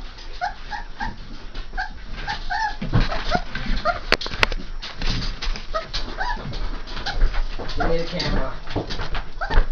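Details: Three-and-a-half-week-old Saint Bernard puppies giving rapid, thin whimpers in the opening seconds, then fainter squeals mixed with a person talking and bumping noises.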